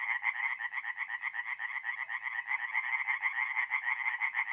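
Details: Singing tree frogs at a forest pond by night in north-east Italy in mid-April, giving rhythmic rapid croaking pulses around two per second, layered callers, a clean recording without other noise.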